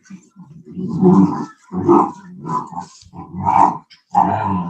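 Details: Cane Corso, also called Italian Mastiff, from a breeder's pack west of Nashville, Tennessee; deep, rumbling growls in five rough bursts of about a second each, separated by brief pauses, with raspy, breathy edges.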